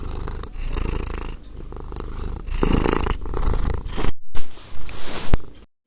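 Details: Domestic cat purring, described as a sign of affection, contentment and trust when petted or cuddled; a low, steady rumbling throb with uneven bursts, ending in a few short louder pulses before silence.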